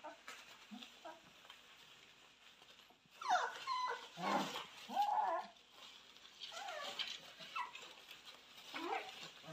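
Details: Purebred Cane Corso puppies, raised in the house and born 18 October 2022, whining in brief wavering cries amid rustling and shuffling, with a few thin squeaks scattered before and after the louder middle stretch.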